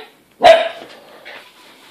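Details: Greater Swiss Mountain Dog puppy playing indoors with a bottle: one short, sharp, fairly high yelping bark, followed by a second of faint rustling.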